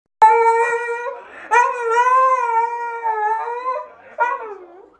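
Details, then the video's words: Siberian Husky crying: long, tonal, whining howls with rich harmonics, three drawn-out wails that waver and slowly fall in pitch, with brief breaks between them. "Husky siberiano chorando"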